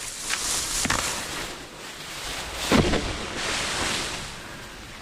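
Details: Broadband wind and rushing noise buffets the microphone outdoors, with no clear animal call standing out.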